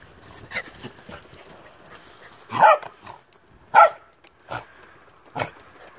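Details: An old female Sheltie Collie on a farm in falling snow barks to get someone to come play, the other animals being in the barn; short, sharp barks at roughly 2.6 and 3.8 seconds, followed by two softer ones, with quiet gaps between.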